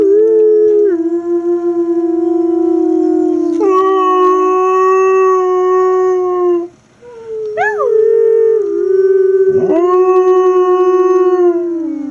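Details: Siberian husky puppies howling, with several long drawn tonal howls that overlap and restart. One brief yelping rise and fall comes in the middle, and a short pause occurs before the last howl.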